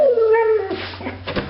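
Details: Female pet dog excited about another dog outside, giving a high, drawn-out whining howl that slides slowly downward and then breaks into softer whimpers. A woman talks to her affectionately.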